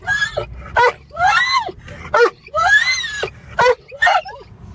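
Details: Excited dog whining and screeching uncontrollably in a car as it nears home: loud, high, wavering squeals and yelps in bursts about every half second, rising and falling in pitch, with engine rumble beneath.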